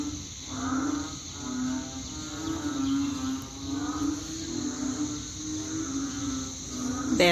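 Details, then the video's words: Chorus of banded bullfrogs, their calling likened to a rice-field night: low, droning, harmonic notes from several frogs overlap in waves, swelling and fading every second or so, with a brief sharp noise at the very end. "เสียงอึ่งอ่างร้อง # เหมือนอยู่ # ทุ่งนา"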